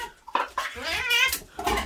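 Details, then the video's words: Domestic cat giving a few loud drawn-out meows, each a wavering harmonic wail, with short clattering thumps between calls and faint background music. "Very Loud Cat"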